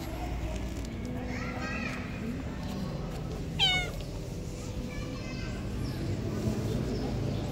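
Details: Hungry pregnant stray cat on a street corner crying for food: a faint meow early on, then one clear, downward-sliding meow midway, set against steady low outdoor street noise.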